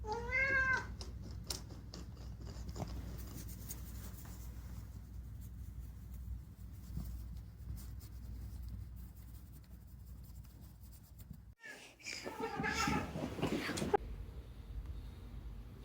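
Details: Chatty rescued house cat Unagi opens with a clear wavering meow, then after a quiet stretch gives a burst of several rapid, rising and falling meows near the end, with some rustling indoors.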